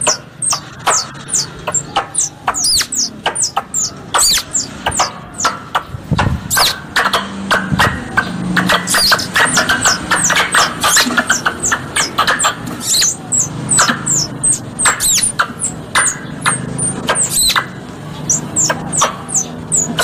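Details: Indonesian hunting lure of mixed squirrel sounds: a dense, irregular chatter of thin, high descending chirps and crisp clicks lasting the whole stretch, over a murmur of low background hum.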